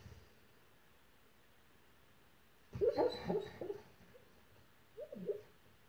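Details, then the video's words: Dog howling softly in his sleep while dreaming; after quiet room noise, a short burst of muffled, wavering whimpering howls, then a brief fainter rising whine near the end. "Dog Howls While He Sleeps"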